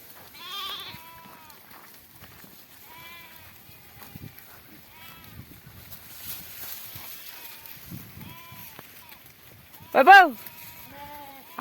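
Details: Flock of sheep grazing in a cotton field, giving repeated wavering, harmonic bleats from several animals at irregular intervals, roughly forty a minute, with one loud, drawn-out bleat near the end over soft rustling in the field.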